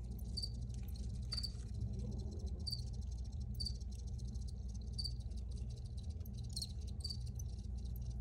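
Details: High, sharp cricket chirps come in irregular pairs and groups, sometimes pausing, against a constant low hum and light crackle.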